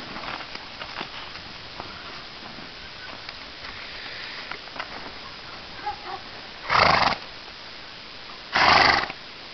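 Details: Young filly outdoors for the first time in spring snow, with Great Pyrenees guardian dog Polar nearby; quiet rustling and scattered clicks, then two loud harsh bursts about two seconds apart near the end.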